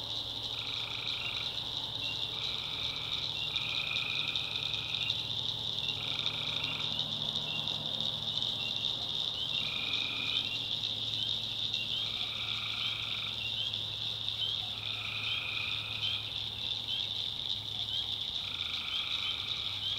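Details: Chorus of tree frogs at night in a swamp in backwoods North Carolina, a bright continuous high drone overlaid by repeated lower nasal calls about a second long, roughly every two seconds, above a low steady hum.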